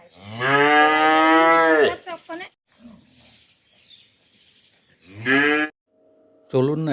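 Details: Village cattle in Tripura, including Holstein and cross-Holstein cows, give loud, full-throated moos: a long sustained bellow of nearly two seconds, then shorter forceful moos, with faint background noises and a brief steady tone in quieter gaps.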